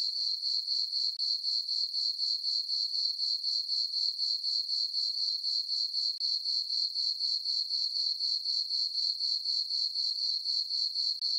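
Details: Crickets calling through a peaceful summer night on a farm meadow, moon full overhead; their high, glassy chirps pulse steadily around four per second in a dense, unchanging chorus.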